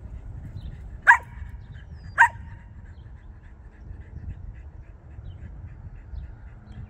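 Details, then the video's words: Cavalier King Charles Spaniel barking while chasing a car; two sharp, loud barks about a second apart, then quieter scattered yaps over steady low rumble of outdoor background noise. "Henry Chases the Car - Cavalier King Charles Spaniel"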